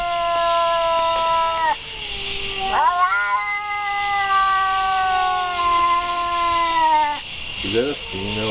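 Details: Cat producing long, continuous yowls, one wail cutting off and another rising straight back in, holding steady for several seconds before short warbling cries at the end, over a persistent high hiss.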